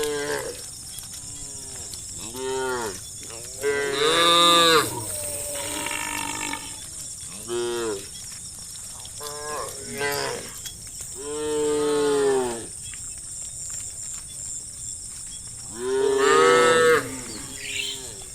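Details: {'text': 'Village cattle in a herd in the evening, cows mooing to call their herd; repeated harmonic moos, several loud and drawn out, others short and overlapping from different animals, with a steady high insect hum throughout.'}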